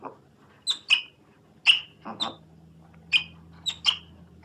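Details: Otter uttering sharp, high-pitched chirps, often in quick pairs, spaced irregularly across a few seconds over a soft low hum.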